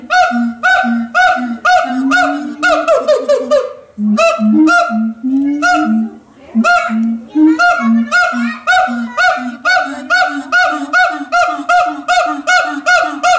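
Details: Siamang (Symphalangus syndactylus), an endangered ape, calling at Los Angeles Zoo: a rapid series of loud, hoarse, honking whoops, bunched into bursts with short pauses, rising and swelling in the middle, then settling into steady repeated barks.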